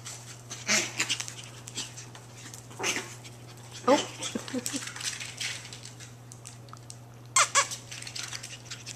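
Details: Two female long-coat Chihuahua puppies, Emerald and Ruby, playing together: scattered short squeaks and scuffling bursts, a few brief higher yelps, with a woman's soft voice calling between them and a steady low hum underneath.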